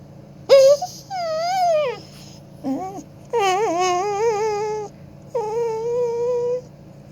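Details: Pet dog "singing opera": a series of drawn-out, tonal howls, some rising then falling, some wavering like vibrato, each lasting about one to one and a half seconds, with short pauses between them and a low steady hum behind.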